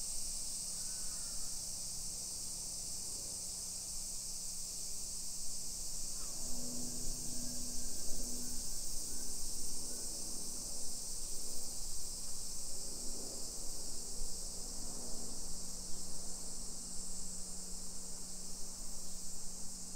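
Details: Cicadas singing in summer, 1 PM on 28 July 2021, in a modern hillside neighbourhood of Nisshin near Nagoya, Japan: an unbroken shrill buzzing wash over a low steady hum and rumbling street and footstep noise.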